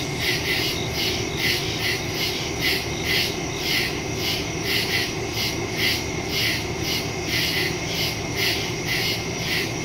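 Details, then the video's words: Crickets in the woods after dark, recorded September 2 via phone and stereo microphone; steady repeated chirps in quick succession form a pulsing rhythm over a sustained high insect whine and distant low rumble. "Crickets in the woods at night"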